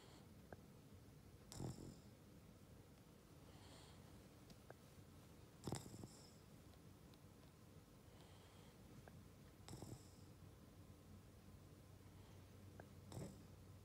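A Boston Terrier snores in slow, rough bursts roughly every four seconds.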